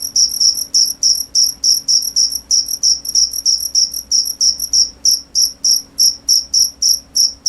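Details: Steady cricket chirps, clear high shrill pulses at roughly three per second, evenly spaced with a brief pause near the five-second mark, quiet surroundings.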